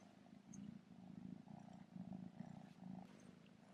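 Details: Quiet, continuous purring from Remi, a young male kitten wearing his first bow-tie collar with a bell, with an even rhythmic rumble and no voices over it.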